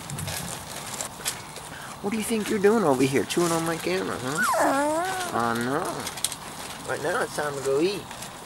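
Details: Weimaraner x Vizsla puppies from Biscuit's litter, three to four weeks old, giving a run of high, wavering whimpers and whines that rise and fall in short bursts, several overlapping, with faint background rustling between calls.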